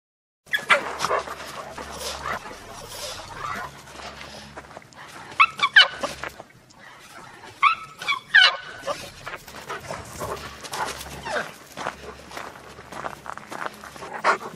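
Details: A male Alaskan Malamute gives rough, yowling play growls and short grumbling barks in bursts while rough-housing with a small puggle.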